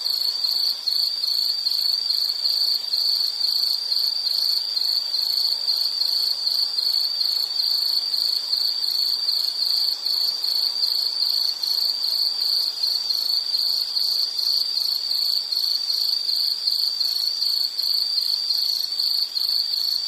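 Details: Insect song as one unbroken, piercing high buzz with fine rapid pulsing that holds steady and loud the whole way through, over a quiet background.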